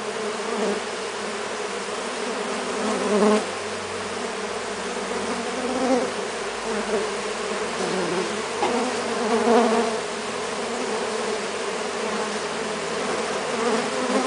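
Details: Brazilian native stingless bees, three Melipona species, covering a hand while taking sugar syrup; a constant low buzzing hum of many insects with gentle swells every few seconds as individual bees fly close.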